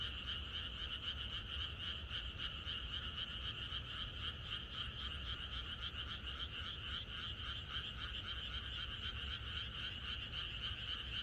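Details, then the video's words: Frogs in the countryside calling together the night before rain, producing a dense, unceasing pulsed croaking chorus with a regular throbbing beat and a low ambient rumble underneath. "비가 오려나?이것이 자연의 소리 ~개구리들의 합창"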